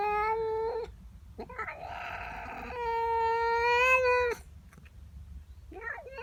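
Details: Female pet cat unhappy about a neighbour cat in her garden, morning: a sustained loud wailing yowl lasting several seconds after a shorter one, then quieter broken mews, faint room noise beneath.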